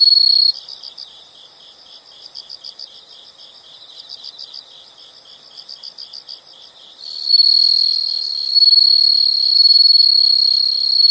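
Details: Insects in a nature sound recording: a brief loud trill, then gentle high chirps in regular pulsing groups. At about seven seconds a strong, sustained buzzing trill starts and rises in volume.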